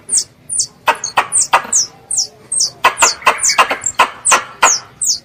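A young squirrel calls its mother with very high, thin squeaks that slide downward, about twice a second.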